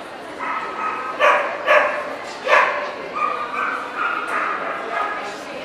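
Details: Welsh Corgi, Cardigan or Pembroke, at the NVP dog show in Ostrava on 14 April 2012: three sharp, separate barks over steady background talk from the show crowd.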